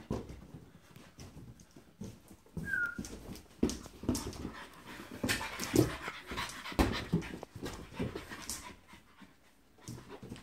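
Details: French Bulldog in play with a balloon: fast panting and snorting throughout, one brief squeaky whistle early on, and rising scuffling and rubbing noises in the middle before things quieten.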